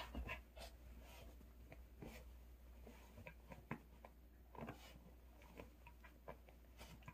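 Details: Pet dog panting and snuffling while playing excitedly with a toy doll indoors; soft breathy huffs and scrapes in a quiet small room, with low background hum.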